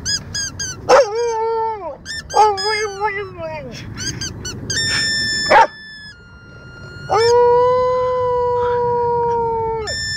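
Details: Dogs singing along to music: repeated short wavering howls that slide downward, then a long sustained howl held steady for several seconds, over flat musical notes and some voices.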